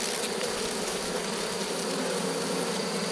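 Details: Steady droning hum of a honey bee colony in a drone-laying hive, 3 May 2021, where the beekeeper finds no laying bees and prepares to add a brood frame. The hum holds even and continuous, with faint hiss above.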